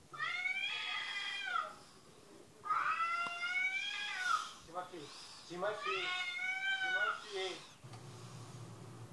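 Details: Television cat meows reaching a listening dog: three long, wavering meows spaced a second or so apart, with short lower sounds and faint voices between them and a low hum near the end.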